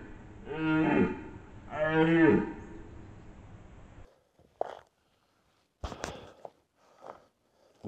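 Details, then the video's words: Red deer during the rut in the Považský Inovec mountains, Slovakia: two long, deep, groaning roars about a second apart, harmonically rich and falling at the end, followed by quiet clicks and rustles. "Red DEER Rut 2025"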